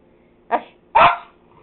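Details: Pet dog barking at home, two sharp barks about half a second apart, the second louder and longer, with no other sounds between them.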